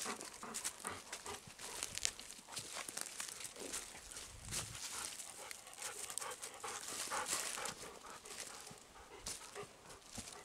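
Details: Steady chuffing pants from Kohaku, a Golden Retriever on a woodland walk in near-windless forest; rapid airy puffs run continuously, mixed with rustling footsteps on the forest floor and no birdsong.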